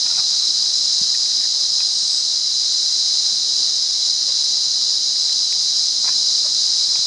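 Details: Sri Lankan cicada from Monaragala, wild: a dense high-pitched continuous whirr, unchanging in loudness, with sparse soft chirps and ticks from the surroundings.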